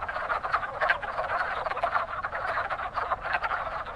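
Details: Wood frogs at a lively pond in spring, one of the first frog species to breed; crowded chorus of quick, raspy clucks in pulsing bursts, with no other noise.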